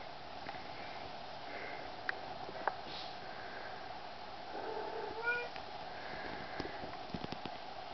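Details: Male kitten, the third male of a litter out of Wildcatmagic Isabella and Tecspot Extreme Thrills, gives a short, thin, harmonic meow midway through, with a few faint squeaks before it over a steady background hum.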